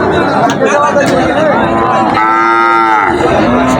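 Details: Sahiwal cattle, a farm-suitable deshi type, at Mirpur cattle market in Habiganj on 31 July 2024; one clear, steady, harmonic moo lasting about a second, with busy market chatter and voices all around.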